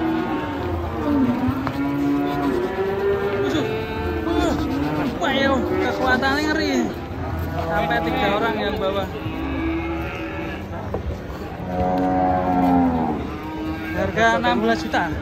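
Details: A furious bovine lets out loud, arching bellows that rise and fall in pitch, repeated every few seconds. People talk and a vehicle rumbles nearby.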